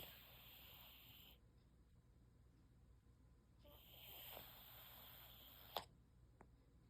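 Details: A male cat napping, snoring with two long, breathy, hissing breaths, the second ending in a sharp click, over a steady low room hum.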